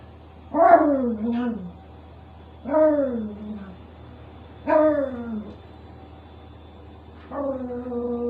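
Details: Dog angry at the noise of a washing machine, giving four drawn-out, whiny cries that slide downward, spaced roughly two seconds apart, over a steady low mechanical hum.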